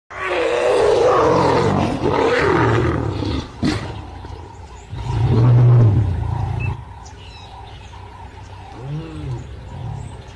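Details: Asiatic lions in Gir Forest; deep, loud roaring bouts with rough grunting pulses, separated by quieter stretches, and a faint bird chirp in the background.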